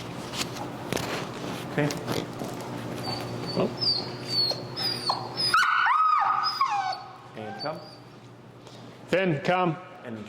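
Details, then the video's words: Extremely vocal dog Finn, in Chicago recall training with an e-collar, whines amid human speech and handling noise; a high wavering whimper rises and falls midway, followed later by short lower whimpers. "Working An Extremely Vocal Dog"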